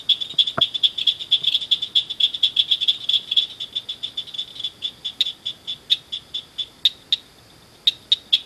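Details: Frogs gathered at night in a culvert beside a ditch, giving quick high chirps in a fast steady train that thins out toward the end into a few separate bursts.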